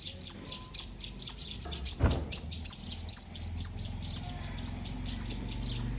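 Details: Loud squirrel chirping: a quick run of piercing, high, clipped notes, roughly two per second, somewhat uneven in spacing, with one dull thump partway through and a low background hum.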